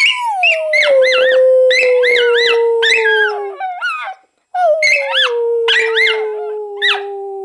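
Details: Schipperke dog howling together with its owner: a long sliding howl falling slowly, overlaid with wavering, yodelling higher howls in repeated bursts, with a short break midway.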